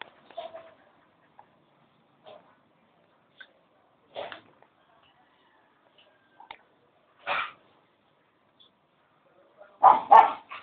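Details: Dogs barking in short, irregular bursts separated by silences, a few soft yips early on, then louder single barks, ending in a pair of strong, rough barks close together.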